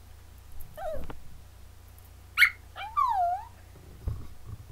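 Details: Indoors on webcam, Molly, an eight-month-old female Yorkshire Terrier, talks back after being scolded: a string of whiny, yodel-like vocalizations, one short sharp squeak, then a longer wavering moan that bends down and back up, over low room hum.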